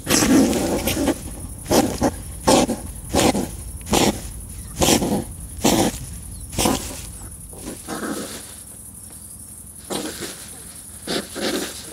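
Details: European hedgehogs fighting and courting during mating season in a garden woodpile where they live and breed: loud, harsh broadband huffing snorts in bursts about every second, pausing near the end, then resuming more softly.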